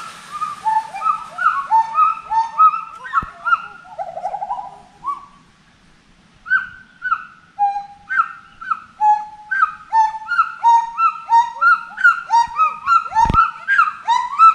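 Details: Forest monkey voices: series of swooping, rising-and-falling whoops, a brief quiet pause, then a faster, denser chorus of overlapping arched cries with a sharp knock.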